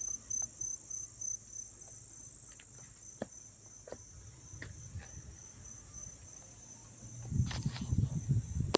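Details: Crickets recorded up close in Dobbs Ferry, New York, on September 9, 2024: a steady, high, ringing trill runs throughout, pulsing in short bursts at the start, over low rumbling background noise and a few sharp clicks near the end.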